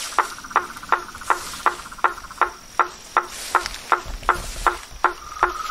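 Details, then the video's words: Frogs and toads in nature: sharp knocking calls repeated steadily about every third of a second, each a short broadband click with a tonal band, over a faint continuous trill and a thin high hiss. "Os sons dos sapos , rãs e perereca na Natureza"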